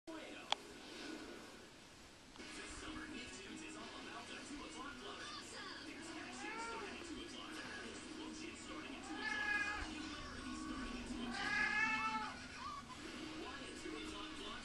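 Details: Pet cat trying to hump a pillow, giving a run of wavering, drawn-out meows and moaning calls, louder and higher around the ninth to twelfth seconds, over steady indoor background noise.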